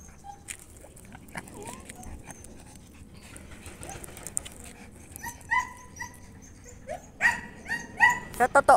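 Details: An Aspin (Philippine native dog, Canis familiaris) kept indoors barks noisily in short, sharp, high bursts, with a person talking in the background.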